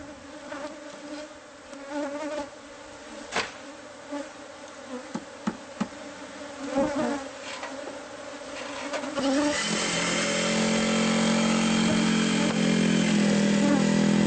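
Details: Bees from a hive hidden inside the walls of a house, found during pest-control removal. A steady low buzzing drone with knocks and taps fills the first nine seconds, then a loud machine noise takes over.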